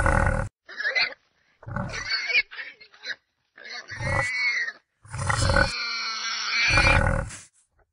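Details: Red deer roaring during the October 2016 rut in the Sierra del Relumbrar, Albacete, Spain: a series of loud, harsh, harmonic roars in bursts of about a second, ending in one drawn-out bellow of roughly two seconds.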